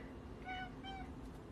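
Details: Domestic cat giving two short, quiet meows in quick succession, each a brief tonal cry with a steady pitch, over a soft, constant low background hum.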